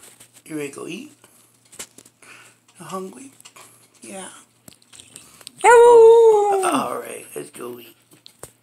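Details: Hungry female Samoyed inside a small room, asking for breakfast, lets out a strong, smooth, steady-pitched howl of about a second and a half that falls at the end. A woman's chatter comes before and after.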